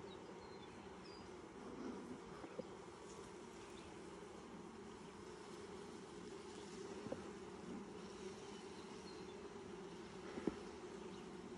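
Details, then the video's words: Colony of honey bees hums steadily as a hive is opened for its first inspection in 2020, six days after nucs were installed; a continuous low drone with a few soft clicks and knocks from handling the frames. "First honey bee hive inspection 2020"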